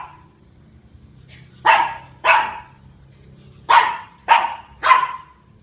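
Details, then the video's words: Barking at a big dog at Queena HSE on October 14, the dog Charlie gives five punchy barks, a pair followed after a pause by three quicker ones, over a quiet low hum. "Charlie at Queena HSE barks at big dog."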